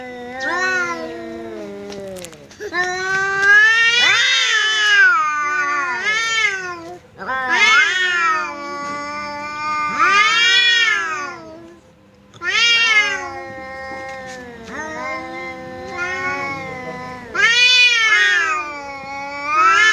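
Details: Caterwauling standoff between a house cat and an arriving visitor cat, repeated swelling howls that rise then drop, each lasting one to two seconds, with a continuous low growl beneath and brief quiet gaps.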